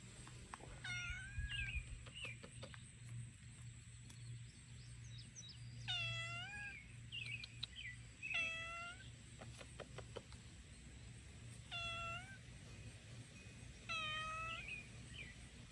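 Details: A cute little cat meowing with a sweet voice: five or six clear, harmonic meows, some with a slight upward bend, spaced about two seconds apart, with softer chirps between them over a steady low hum.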